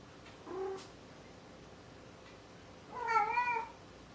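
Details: Maru the cat makes a short, soft meow, then after a pause a louder, longer wavering meow with bright stacked harmonics, almost a plaintive cry.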